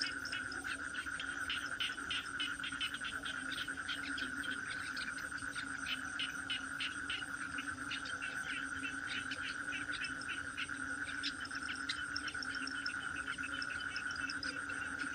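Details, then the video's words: Toads calling together: an even high-pitched drone and a softer low tone run without pause, beneath a dense patter of rapid clicks and chirps. "Toad cry"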